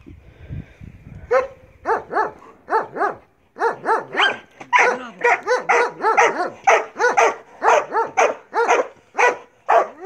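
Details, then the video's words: Barking from Marley the Belgian Malinois during bite work training: after a short quiet start, a sustained run of loud, sharp barks repeats steadily about twice per second. "Marley Belgian Malinois bite work"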